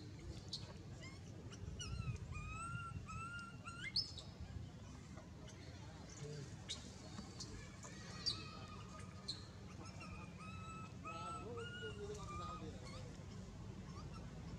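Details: Baby monkey crying while its mother, DeeDee, squeezes it down: thin, tonal, wavering cries with sliding pitch, repeated in short bursts over a steady low rumble of background noise.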